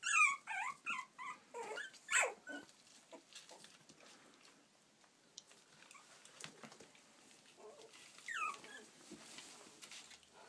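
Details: Playful Yorkshire Terrier puppies from Stockport, Cheshire, UK: a quick run of about six high, sliding whines at the start, then mostly soft shuffling noise, with one more rising whine near the end.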